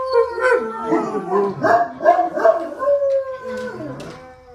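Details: A pack of four pet dogs, a Basset Hound, a Dalmatian, a mixed breed and a Great Dane, howl together: overlapping wavering, sliding tones, some rising and falling, with yips breaking in among the longer drawn-out howls.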